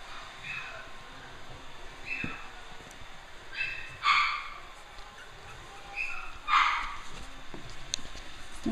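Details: Five-week-old puppies of the mother dog Dulce, enjoying free play in the nursery, give a few short, high yips and whimpers spaced several seconds apart while a woman talks to them over a steady background hiss.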